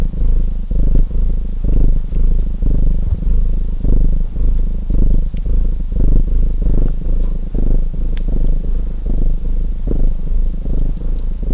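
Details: Domestic cat purring with a soft, grainy low drone broken into irregular inhale and exhale swells, set against the occasional snapping of a chimney fire.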